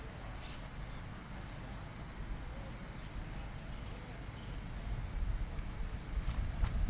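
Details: Cicadas singing in park trees in Japan during an early morning summer walk: a continuous high metallic buzz that never pauses, with a low background rumble that swells slightly near the end.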